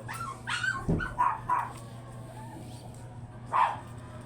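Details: Shih Tzu named Booth, a chocolate-liver male kept for stud service at a kennel house; a few short yips and barks, sharp and uneven, with a steady low hum underneath and a faint human voice.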